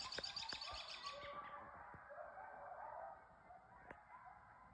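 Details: A nearby pack of coyotes yips and yodels together in a tangle of high, wavering cries, heard toward a beaver pond below a house in northern New York State's Adirondacks.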